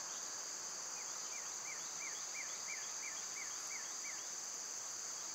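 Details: Loud summer cicadas keep up a constant high, hissing drone; underneath, a clear falling note repeats about eight times, roughly three per second, in the middle seconds.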